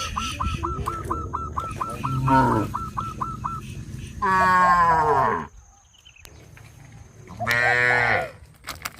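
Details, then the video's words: Cows on a traditional village farm, leaping off a sidewalk into the fields: two loud, drawn-out harmonic bellows, each sliding downward at the end, follow a quick run of short repeated chirps and a low rumbling background. "sound of cows"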